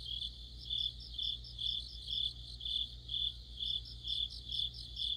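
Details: Deep-autumn insect chorus with crickets: sharp, high, buzzy trilled chirps repeated in rhythmic bursts about twice each second, several singers overlapping above a steady low hum.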